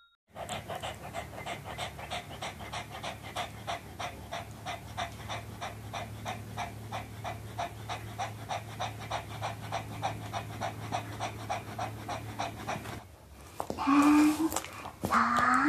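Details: Pomeranian dog enjoying eating an apple, close recording: steady rhythmic panting about three breaths a second, then a brief pause and louder chewing or handling noises near the end.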